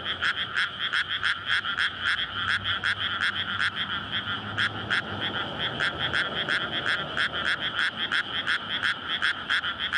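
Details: Courting frogs in a flooded paddy field in May, recorded at night beside a road amid housing on a SONY PCM-D100. Loud pulsing croaks repeat about three per second in an unbroken chorus, with a low engine hum in places.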